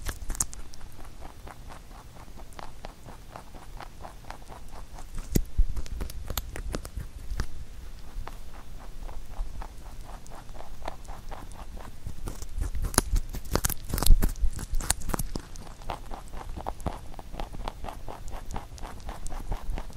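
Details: Huchu, a pet rabbit, nibbling a carrot-made songpyeon for the Chuseok holiday; steady fast crunching and patter-like gnawing, with a burst of sharper, louder bites around the middle.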